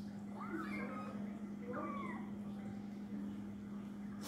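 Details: Domestic cat meowing: two short rising-falling meows near one second and two seconds, over a steady low hum and faint background noise.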